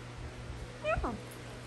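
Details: Basenji, a barkless dog breed, giving a morning meow that mixes greeting and yawn: a short rising, harmonic yelp followed at once by a quick falling whine, the whole call under half a second against a steady low hum.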